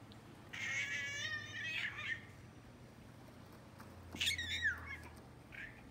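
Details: Male American Shorthair, a classic silver tabby, excited and wanting to interact and play with his toys, giving squeaky, trilling chirps instead of a normal meow: a long warbling squeak, a pause, then a shorter falling squeak, indoors.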